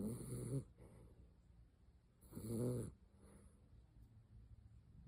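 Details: Helen, a Miniature Dachshund, asleep and snoring: two loud, rough breaths about two seconds apart, each lasting around half a second, with softer, quieter breathing in between.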